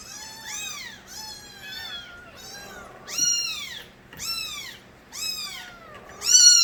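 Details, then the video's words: Young stray cats calling insistently, a run of about eight high, arched meows, some rising then dropping, spaced roughly every half second to second, the last ones loudest and shrillest. "새끼고양이들의 우렁찬 울음소리"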